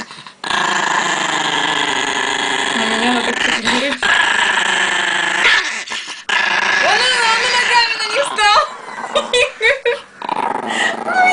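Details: Aggressive Chihuahua indoors, growling steadily for about five seconds, then breaking into shorter growls and whiny, wavering vocal notes while people talk and laugh nearby.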